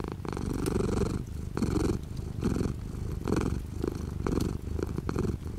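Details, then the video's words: Domestic cat purring close up while light rain falls outside the window, rhythmic rumbling purr with inhale and exhale phases alternating under a second apart, faint rain ticks behind. "The sound of a cat purring with light rain outside the window."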